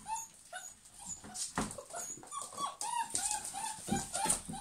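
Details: German Pinschers, several dogs, whimpering and yipping almost without pause: thin, high, slightly wavering whines overlapping one another, with scuffling and rustling underneath.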